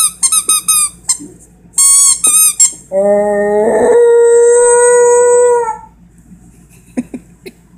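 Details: Schnauzer puppy playing and imitating his squeaky toy: bursts of high, squeaky harmonic squeals, then a sustained tonal howl rising slightly in pitch for about three seconds, followed by faint clicks.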